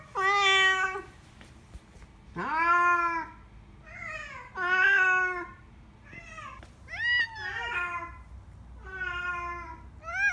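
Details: Eight-year-old spayed white female cat named Nyangi, at an animal hospital for a health check on 22 February 2019, with early-stage kidney disease. She gives about six drawn-out meows, some rising then falling, in a small quiet room.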